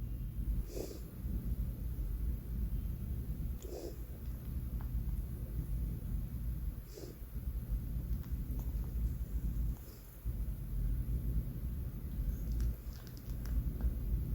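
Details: Banh Mi, a four-month-old male pet cat, asleep and snoring: soft, husky breaths recurring about every three seconds over a steady low indoor rumble, with faint clicks and rustles between them.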